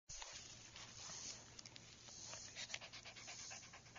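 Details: A cute puppy panting: quick, breathy, hissing bursts of rapid breaths that repeat steadily, with a few sharp clicks and snuffles in between and no other voices.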